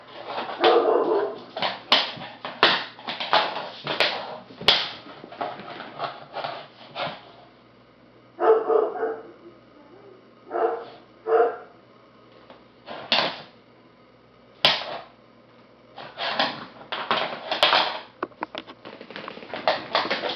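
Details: Rescue puppy, a nine-week-old labrador/spaniel mix in Maryland, gives bouts of quick high yapping barks, several in rapid succession, broken by pauses of a second or more, then single barks spaced out before another fast burst.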